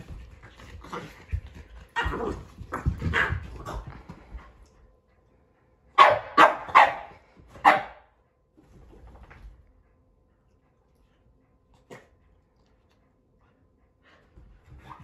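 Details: Keeshond and Boston Terrier wrestling playfully on a couch indoors; loud sharp barks and growly play noises come in bursts, a fast cluster around the middle, then quieter scattered sounds.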